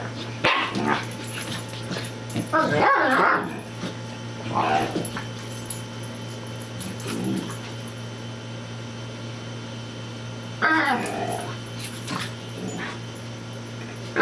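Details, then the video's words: Play fight between a Corgi and a Bouvier, Miss Marple attacking Baloo: sharp barks and yips in separate bursts, a loud cluster early and another near the end, with human voices and a constant low hum. "Corgi-Bouvier Play Fight"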